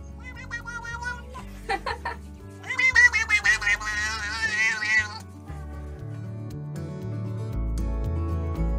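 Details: Domestic cat making a meow that sounds like human words: a drawn-out, wavering, sing-song series of pulsing notes about two seconds long, set in steady background music with laughter and applause just before.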